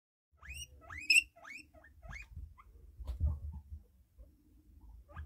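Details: A fluffy pet guinea pig wheeking hard: a run of shrill rising squeals, each sweeping upward, repeated about every half second, then quieter squeaks with low rustling and thumping of movement nearby.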